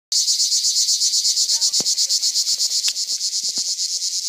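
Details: A pine cicada at Rivesaltes, France, in 2013 gives a loud, high, buzzing song, pulsing steadily and without a break.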